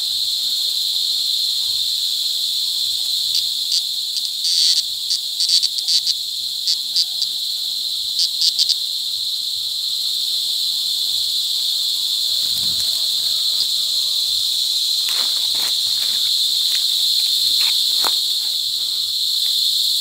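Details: Cicadas mating in cicada season at Sitio Bagumbayan, Brgy. Balabag, La Carlota City, Negros Occidental, July 18, 2020, recorded close: a loud, steady, high shrill drone, broken by brief pulsing flickers around five and eight seconds, continuing unbroken to the end.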